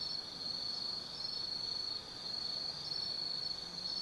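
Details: Autumn insects keep up a steady, high-pitched trilling chorus without pause at night in the forest at Tsukimi no Mori, 180 m up overlooking the Nobi Plain, Kaizu, Gifu, Japan.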